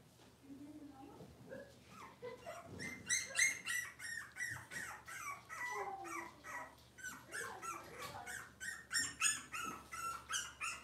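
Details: Six-week-old Cavalier King Charles Spaniel puppies in a puppy pen, during deworming and toenail trimming, give a dense run of high, squeaky, rising and falling whines and whimpers, several overlapping, roughly three per second, with faint background noise.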